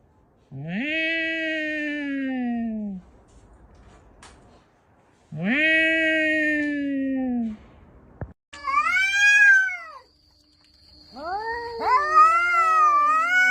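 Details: Cats fighting, exchanging loud drawn-out yowls: two long wavering wails each lasting over two seconds with a pause between, then higher strained howls rising and falling, one voice seeming to answer another.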